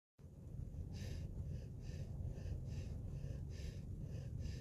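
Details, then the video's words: Sleeping puppy snoring: rhythmic breathy snorts, about two each second, rasping over a deep, steady low rumble of breath. "Snoring puppy"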